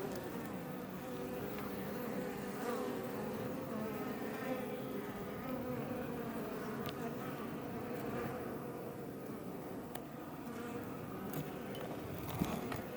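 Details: Swarm of Iberian honey bees flying outside a Langstroth beebox near Roquetes in southern Tarragona, Catalonia, Spain: continuous layered droning hum from many wings, fairly even in loudness, with faint sharp clicks scattered through.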